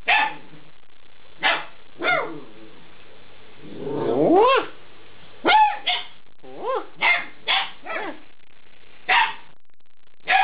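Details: Alaskan Malamute puppies aged eight weeks yipping and barking in short bursts, with a rising whiny howl in the middle and several upward-sweeping yelps afterward, interspersed with brief pauses.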